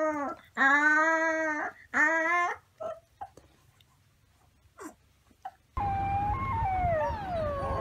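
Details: Wolf pup making two short, rich, wavering howls in quick succession, then a few faint clicks. After a pause, a noisier passage follows with more overlapping, higher howl-like wails.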